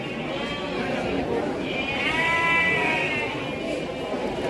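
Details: Young Garut sheep offered as breeding stock at Pasar Andir market, Bayongbong, Garut, Indonesia, around three months old: a drawn-out quavering bleat of about one and a half seconds rises from steady crowd chatter and a nearby speaking voice.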